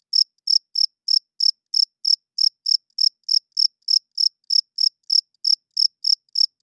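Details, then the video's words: Night-time cricket chirping: sharp, high-pitched pulses arriving at a regular pace of roughly three per second over a silent background. "Cricket Chirping Sounds - Cricket klinkt 's nachts luid"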